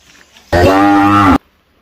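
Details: A single long, level moo from cattle grazing on a plantation at Sigeudok Hill, Lamteuba, where plenty of food keeps them fat; the call is rich in harmonics, holds steady for nearly a second, then stops abruptly.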